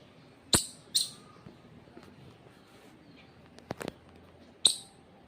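A squirrel gives sharp, high chirps, two close together and another after a pause.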